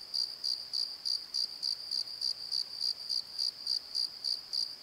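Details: A clean run of night cricket chirps from a valley bottom beside the Pozo Night Tree, high and evenly spaced at about three and a half per second, with little else heard.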